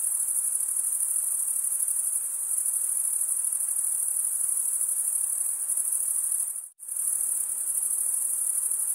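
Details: Crickets stridulating, males rubbing wings together: steady high shrill trill that drops out almost completely for a brief moment near the end before resuming just as strongly.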